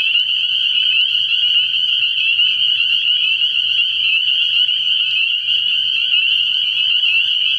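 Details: Early-year night at a frog pond, where a massed chorus of spring peepers gives an unbroken, intense high-pitched trilling peep throughout, with nothing else heard.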